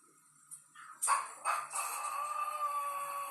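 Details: Domestic dog home alone while its owner is away: after soft knocks and a short rustle comes one steady, high, drawn-out howl with rich overtones, held for nearly two seconds at even pitch.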